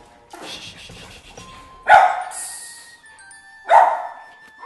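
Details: During a rehabilitation session for an aggressive, dominant Lhasa Apso, a dog being introduced to another dog gives two loud, sharp barks about two seconds apart; the trainer judges it excitement, not aggression.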